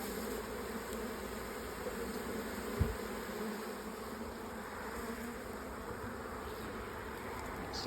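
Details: Dense hum of a late honey bee swarm packed into an old hive during an inspection; continuous droning buzz with layered low tones, one short knock midway, no speech over it.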